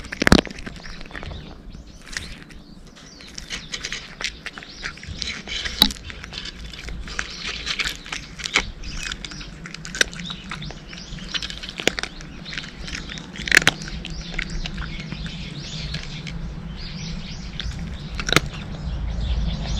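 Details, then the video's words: A cat eating dry kibble, with crisp irregular crunches and crackles as it chews, several sharp louder bites standing out over a soft low rumble and quieter nibbling between them. "【猫ASMR】カリカリッ！ カリカリッ！ Pleasant cat chewing noises!"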